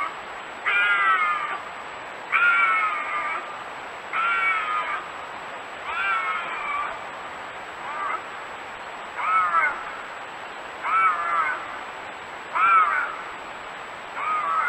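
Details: Intense bobcat howling used to repel raccoons and rodents, a series of eight harmonic, slightly falling wails, each under a second, repeated at a fairly even pace of about one every 1.7 seconds against a quiet hiss.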